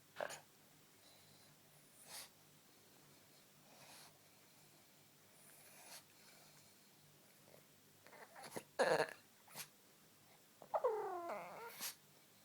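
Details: A male pet dog indoors during a playful burst of energy: mostly quiet snorts and sniffs, then near the end a wavering, harmonic whining moan lasting about a second and a half.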